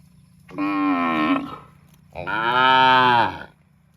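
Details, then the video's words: Cows mooing in a park: two drawn-out, nasal moos of about a second each, the second longer and rising then falling, separated by a short pause over a low steady hum. "cute and funny cows sound mooing in park"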